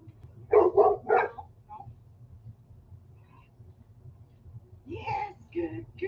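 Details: Reactive female dog on a walk, barking when she spots another dog, her trigger: three loud barks and a softer fourth, a pause, then a person's voice and further barks.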